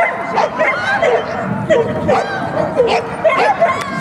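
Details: Two-and-a-half-year-old female Thai Ridgeback at an agility competition in Yasenevo, 14 May 2017, running a clean course; short yelping barks repeated about every half second amid crowd noise.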